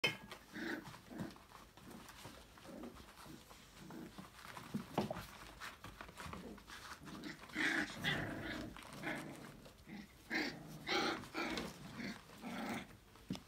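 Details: Five-week-old Australian Labradoodle puppies from a December 2020 litter play and explore in an enrichment playground, a busy overlapping jumble of short yips, squeaks and low growly grumbles from several pups, with scuffling throughout.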